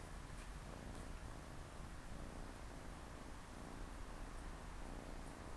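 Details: Siamese cats, a mother with her four kittens relaxing and playing by her side on a Saturday afternoon; a steady, low rumbling purr runs unbroken through the whole stretch, with only faint soft rustles above it.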